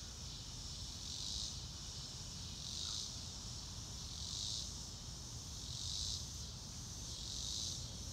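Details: Crickets recorded in real time with no music added: a high, hissing insect chorus swelling into soft pulses about every one and a half seconds, over a low steady rumble of background noise.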